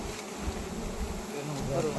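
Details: Continuous droning buzz of wild honey bees at a wild honey harvest, low and even, with muffled movement and distant voices underneath.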